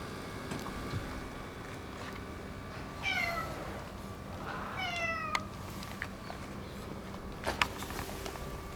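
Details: Neutered boss orange tabby cat that rules its area, showing affection: two drawn-out meows with falling pitch about one and a half seconds apart, amid scattered clicks and a steady background hum.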